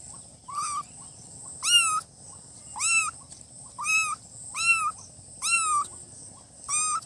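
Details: Seven piercing meows from newborn kittens, each short and arching up then down, coming roughly once a second against a soft steady background hiss.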